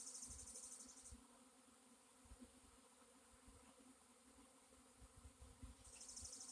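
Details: Low steady drone of a honey bee swarm on April 26, 2021, with a high hissing pulsed trill at the start and again at the end over the constant hum.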